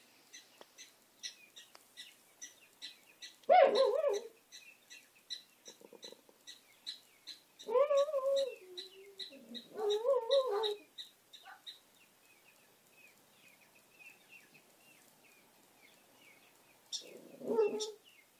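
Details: Benny, a dog, gives several short, wavering howling bursts separated by pauses. A steady rapid ticking chorus, possibly insects, carries on in the background.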